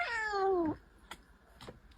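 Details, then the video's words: An angry domestic cat sitting on a table indoors gives one loud, drawn-out meow lasting under a second, starting high and sliding steadily downward, followed by faint knocks and rustles in a quiet room. "Cute Angry Cat"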